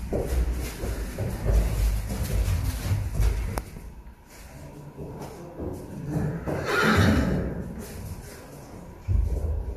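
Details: Arabian horses at a breeding stud in Riyadh, Saudi Arabia: a short, bright whinny rises midway through steady low rumbling and handling noise, with scattered hoof clops.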